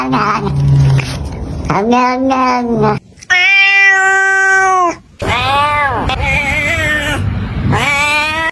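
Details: Kitten making strange sounds: long, drawn-out, strained wailing meows, one held steady for about two seconds, separated by short silences, with some background noise.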